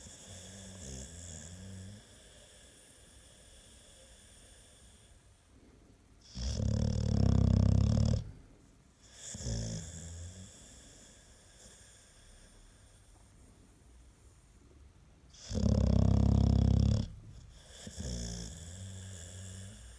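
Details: American Staffordshire Terrier snoring, described as louder than a washing machine on spin: two long, loud, low rumbling snores about nine seconds apart, each near two seconds, with softer raspy breaths between.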